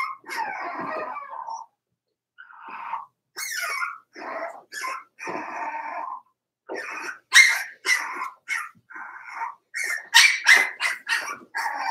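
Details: Four-week-old Cavalier King Charles Spaniel puppies from Daisy's litter in their puppy pen give wavering, whiny whimpers and short high yips in uneven bursts. The calls grow sharper and quicker toward the end, with brief pauses between runs.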